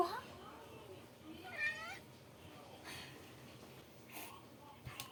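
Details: Young male Maine Coon cat meowing indoors: a few soft, wavering meows, one clearer drawn-out mew near the middle, with faint background noise and brief clicks.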